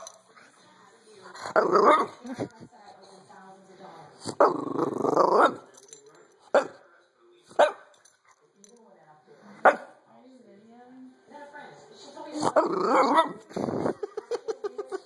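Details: A female French bulldog grumbles and groans in drawn-out, throaty bursts with a few short yips between, making these odd noises when a camera is held close to her face.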